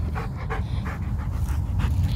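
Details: Samoyed panting hard during a tug game with its owner, quick breathy huffs about three per second over a deep low rumble.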